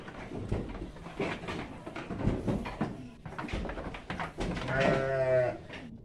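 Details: A female Garut sheep kept as breeding stock gives a wavering, quavering bleat over a busy background of shuffling and murmured voices.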